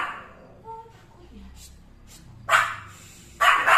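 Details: A Pomeranian staring at one spot gives a faint brief whine, then two sharp, harsh barks close together, with quiet talking; the owner suspects it sees something invisible, possibly a ghost.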